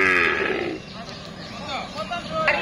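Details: Cattle at the Amraid cattle market in Kapasia, Gazipur, held on Tuesdays ahead of Qurbani; a short harmonic moo opens, then fades into busy crowd chatter and market noise.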